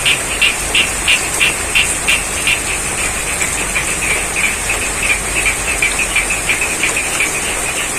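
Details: Croaking frogs in a rainy rice field in Cangkring village, Pacitan, East Java: fast repeated pulsed calls, loudest early on, blending with steady rain noise and a persistent high tone.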